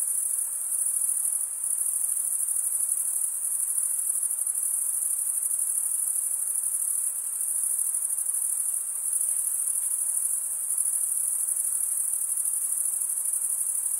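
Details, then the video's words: Crickets stridulating, males rubbing one wing's toothed vein against the other, make a steady, very high, shimmering trill that runs unbroken with slight swells in loudness; no other sounds stand out. "Most relaxing cricket sound"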